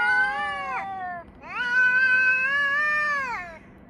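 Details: Cats yowling at each other, filmed on 3 Av 5785 between 6:01 and 6:04 in the morning, summer time. Two drawn-out, wavering, nasal yowls: a short one that bends downward at its end, then a longer, steadier one lasting about two seconds.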